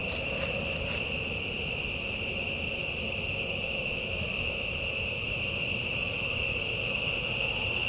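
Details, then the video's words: Insects calling in a forest: a steady, unbroken high-pitched drone made of several layered shrill tones that hold level throughout, with two faint clicks near the start and a low rumble underneath. "PEST SOUND IN FOREST"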